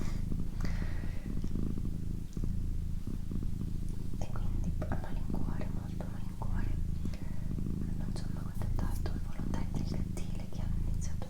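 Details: Steady purring from a female house cat indoors, a deep, evenly pulsing rumble that never stops, beneath soft whispered words and occasional tiny taps and mouth clicks.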